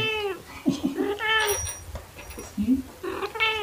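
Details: Pet cat, one of a black cat and a torby cat playing with fluffy toys, filmed in late March 2021 on a phone with a mini shotgun microphone; loud drawn-out meows ringing with harmonics, with a woman talking over them.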